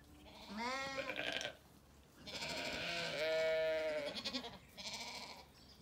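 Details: Zwartbles ewes and lambs bleating in an orchard on a sunny day, County Kilkenny, Ireland; a short rising bleat, then a long quavering one and a final shorter cry, with birdsong faint behind.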